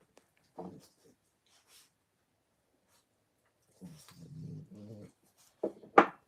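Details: Puppies at play indoors: short low rumbling growls in a cluster near the middle, framed by sharp yips and quick squeals at the start and end, with quiet gaps between bursts.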